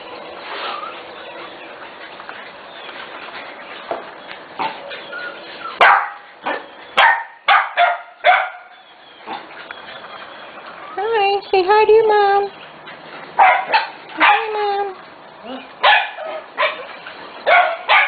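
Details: Corgi puppies almost six weeks old, a special litter, playing outdoors: a run of sharp yips and short barks with rising and falling whines in bursts, over a steady background hiss.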